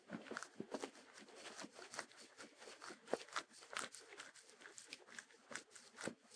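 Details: A Sheltie, a Shetland Sheepdog, chews food indoors. Dense crackling crunches and tearing noises repeat rapidly for the whole stretch. There is no music or other background sound.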